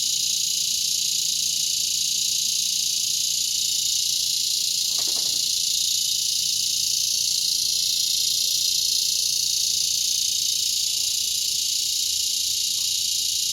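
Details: Chorus of cicadas in a mulberry tree shortly before sunset, Broken Arrow, Oklahoma, August 2020, a relentless high shrill buzz with a short click-like noise near five seconds and faint ticks later.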